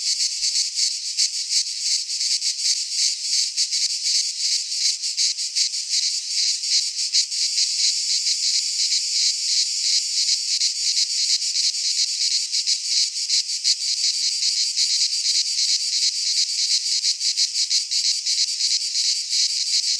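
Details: Sustained midsummer song of cicadas in a Greek pine forest: a loud steady high-pitched buzz with rapid flickering pulsation throughout, occasional faint low thumps, otherwise only insects.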